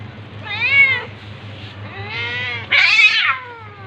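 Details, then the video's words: During a tabby cat's attack on a ginger cat, three separate meows: a short arched one, a longer wavering one, then a loud harsh yowl, over a low background hum. "Cat's meowing but tabby cat attacking ginger cat"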